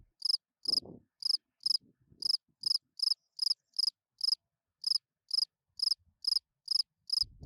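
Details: A spring field cricket sings its calling song at night to attract females, giving short pulsed chirps steadily repeating about twice a second.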